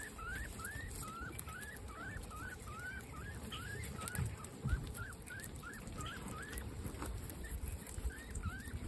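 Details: Female guinea pigs in a herd of 26 at dinner time, calling in a steady run of short upswept whistling squeaks about twice a second over a background of quiet chewing.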